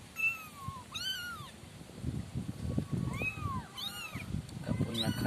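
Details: Five kitten siblings in a cardboard-box enclosure mewing in clear high arching calls, several overlapping, with a person talking and low thumps in the background.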